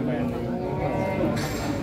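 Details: One of the biggest cattle on a morning sale day, lowing in a steady, low moo that rides under the nearby men's talk and the general bustle of a crowded livestock gathering.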